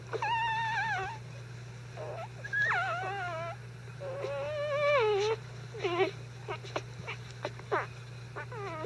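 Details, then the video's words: Disturbed five-day-old Icelandic Sheepdog puppies, not hungry, whine while their bedding is changed: long wavering whimpers and sliding squeals, some drawn out over a second, others short and rising, several pups calling by turns above a steady hum. "5 Day Old Icelandic Sheepdog puppies"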